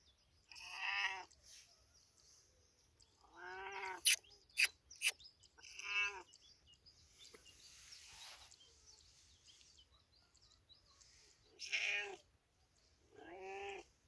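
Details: Cat in village life meowing in short bursts, about six drawn-out calls scattered irregularly, with several sharp clicking knocks near the middle and faint background noise.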